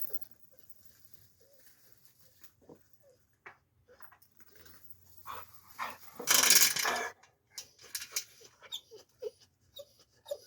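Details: A male dog under two years old, shut outside away from his mother, whom he urges to mate with, gives short, high frustrated whimpers and whines while a person speaks nearby.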